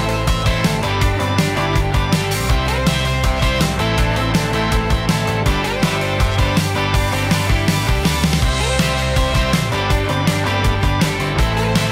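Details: Loud, driving rock music with distorted guitar and steady drums throughout, and no animal sound.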